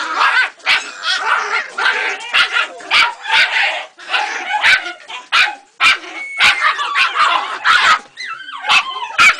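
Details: Jagdterrier puppy aged three months meeting a rat for the first time: shrill, quick barks and yelps in fast irregular runs, with a faint voice near the end.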